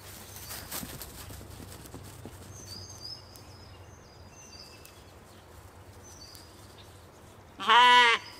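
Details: Katahdin sheep on a Michigan homestead, playing and running about one evening: a single loud wavering bleat near the end, after mostly quiet field ambience with faint high bird chirps earlier.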